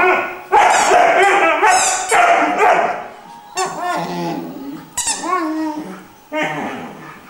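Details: Irish Wolfhound puppy, three months old, singing with long wavering howls and whines that rise and fall in pitch, several drawn-out notes broken by brief pauses, with a bark-like yelp between phrases.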